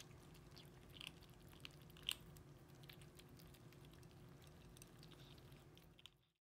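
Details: Indoor dinnertime for four 8-week-old kittens, Racecar, Pip, Hannah and Tunanut, eating canned food and kibble: quiet, scattered crunching and wet slurping ticks, one sharp bite near the middle, steady low hum, fading out at the end.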